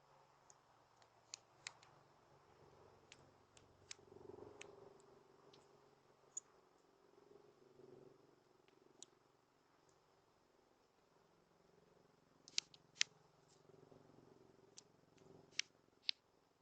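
A rabbit makes sharp, irregular clicks and snaps that crackle like a small fire.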